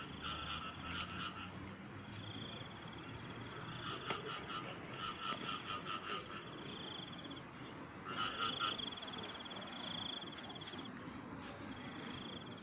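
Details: Frogs calling in short pulsed, rattling bursts with a low and a high tone, repeated in clusters every few seconds, over a steady high-pitched trill and a constant background hiss of night-time chorus.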